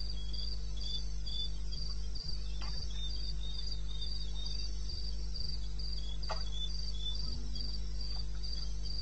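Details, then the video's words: Eastern Botswana wilderness at 2:30 AM on 21 May 16, where crickets chirp in a quick, even, high-pitched rhythm, a second fainter caller just below, with steady low humming and a few soft clicks. "1 Hour cricket sound"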